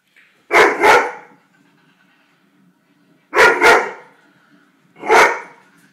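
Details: A Weimaraner barks at penguins on TV on a Sunday morning, giving loud, gruff barks, mostly in quick doubled pairs, with pauses of a few seconds between.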